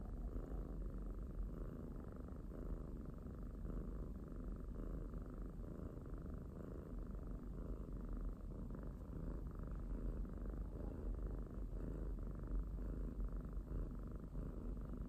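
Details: Pet domestic kitten purring steadily, a low continuous rumble with a pulsing rhythm of gentle swells roughly every second, close and quiet with no other sounds.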